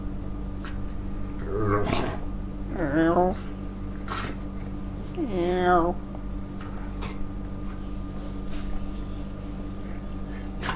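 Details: Male Staffordshire Bull Terrier, overexcited because his owner has just come home from work and an evening walk is near, gives two drawn-out, wavering yelping barks a few seconds apart over a steady background hum.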